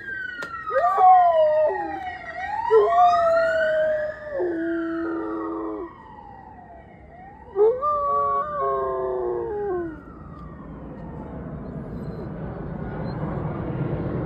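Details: A German Shepherd, seeming to sense his owner is coming, howls in long, wavering, rising-and-falling notes along with a wailing police siren while running after a police car.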